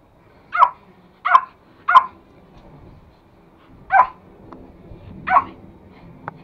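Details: Two pet toy Pomeranians, a male courting a female who will not let him climb on her; five sharp, high yipping barks, three quickly in a row and two more spaced apart, in a quiet room.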